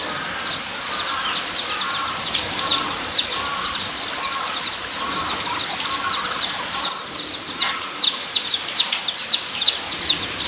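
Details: Guinea pigs at Nogeyama Zoo, Japan, on 23 September 2012: many short high squeaks overlapping in a steady chatter, with louder bursts toward the end over a constant hiss of background noise.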